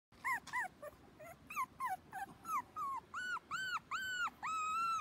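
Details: Black Shiba Inu male puppy, born 8 June and filmed 27 June, giving a run of high whining yelps, short at first then lengthening into drawn-out arched whines, about three per second.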